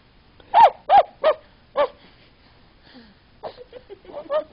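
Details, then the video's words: A dog making puppy-like noises while dreaming, recorded indoors in the United States: four loud, short whimpering yelps in quick succession, a pause, then softer broken whines and small yips. "Silas making puppy noises"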